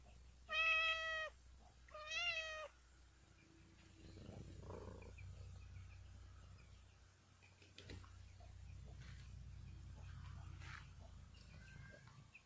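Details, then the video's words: Mother cat giving two loud, clear harmonic meows close together near the start, each under a second long. Softer scattered sounds and a low steady hum fill the rest. "Cat meowing"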